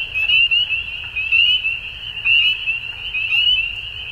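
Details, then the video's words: Frogs at dusk sing a high, ringing chorus in which louder rising trills stand out about once a second above a steady bed of overlapping calls. "Frogs At Dusk"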